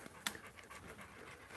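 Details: Several dogs crowd around and climb over their owner as he sits on a bench; soft rhythmic panting breaths, with a brief sharp click near the start.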